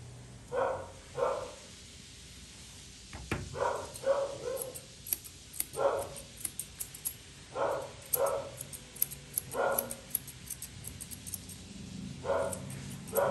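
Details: A Poodle mix barks again and again during grooming with short, sharp yaps spaced a second or so apart. Scissors snip and click quietly throughout, with one loud knock early on.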